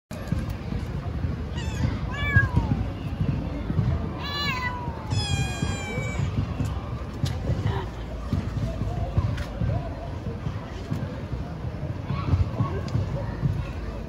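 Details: Stray ginger kitten on a street in Istanbul, Turkey, waiting each day for its feeder: several high, wavering meows, some sliding downward, in the first seven seconds over steady low rumbling street noise and some speech.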